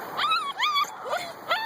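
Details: Two-month-old Husky puppies give a quick series of high, tonal whines that swoop up and then slide down as an early-morning wake-up call, wanting to come out and play.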